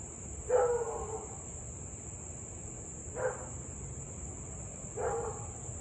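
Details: Louisville husky barking and howling almost half an hour straight, evening of 3 August 2021, 6:24 pm, reported as nuisance barking: three hoarse, harmonic barks spaced about two to three seconds apart, backed by a constant high-pitched tone and low hum.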